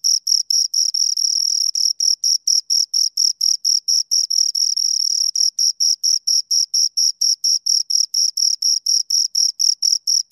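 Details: Crickets, two of them, sounding sharp high chirps in a brisk regular rhythm, a couple of stretches where the chirps run together into a longer buzzing trill, nothing else audible.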